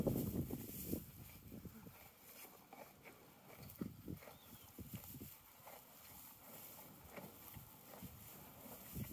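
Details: A horse eats hay in a field, with irregular crunching and grinding chewing bursts following one another closely.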